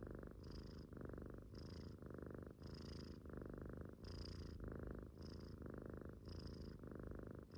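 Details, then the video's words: Asleep and snoring, a Munchkin kitten breathes in even, raspy cycles roughly once every second, low rumbling snores alternating with faint whistly intakes, nothing else audible. "Snoring sleeping munchkin kitten was cute"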